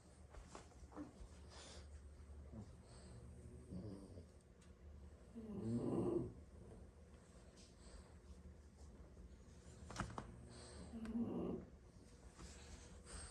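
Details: French Bulldogs, six siblings napping indoors after plenty of play, snore in a room; two long rasping, low snores swell around six and eleven seconds, with softer breathing and faint indoor noises between.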